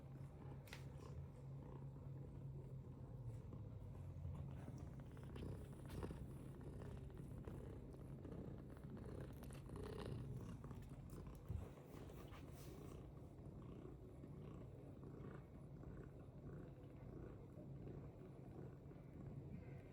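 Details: British Longhair cat purring, a steady low rumbling purr running unbroken for twenty seconds, with a few faint clicks and small rustles over it and a brief sharp knock near the middle.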